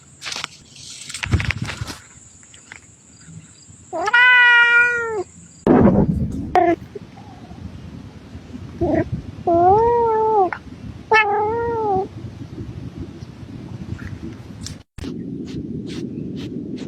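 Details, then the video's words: Mr Kitters, a domestic cat, meows several times: one long wavering meow, then a few shorter rising-falling meows after a loud thump, with rustling and handling noises between calls. "mr kitters the cat"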